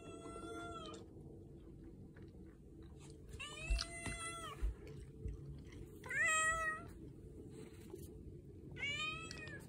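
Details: Domestic cat meowing while rubbing against its owner and spoiling them during a usual morning routine indoors; four drawn-out, tonal meows, each bending up then down, spaced about two to three seconds apart over a low background rumble.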